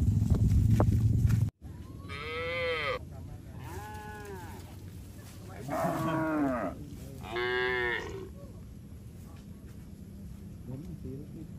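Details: A herd of tame cattle walks along a mining road toward a green village, lowing four times: drawn-out, arching moos of roughly a second each, spaced a second or two apart, over a low outdoor rumble after an opening burst of noise.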